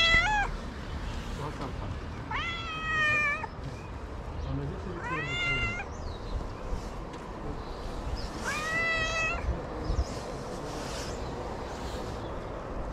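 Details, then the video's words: Stray cat in Morocco asking for food early in the morning gives four short rising meows spread over thirteen seconds, while a man speaks softly to it amid outdoor street noise. "I met a cute stray cat early in the morning who wants food."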